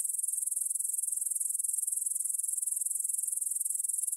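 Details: ['Grasshopper stridulation near the Svensky monastery field, Bryansk, Russia, 9pm on 6 September 2020, recorded in stereo on a Tascam DR-44WL: a constant shrill, glittering chirr of fast, evenly spaced pulses in a quiet meadow.']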